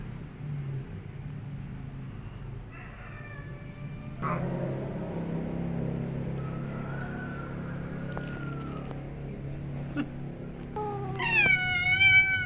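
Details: Angry cat, a fierce mother that has kittens, giving drawn-out tonal wails: a short moan, then a long rising-and-falling cry mid-clip, ending in a louder, harsh, harmonic-rich yowl; people talking quietly and a low background hum.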